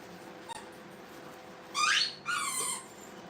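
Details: Brittany puppies in a kennel room with a crate, two high squealing yelps in quick succession, the first rising sharply, the second falling, against a faint steady hum.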